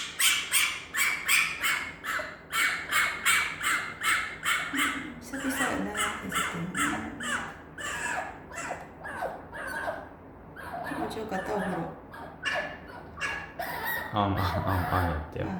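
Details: Excited female fennec fox wanting attention after a bath, giving rapid series of high, sharp squeaky chirps in bursts, with softer lower whining squeals in between and human voices in the room.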